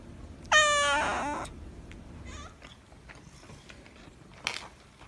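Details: Calico polydactyl cat with a strong, rich meow lasting about a second, then quieter faint sounds and a brief noise near the end.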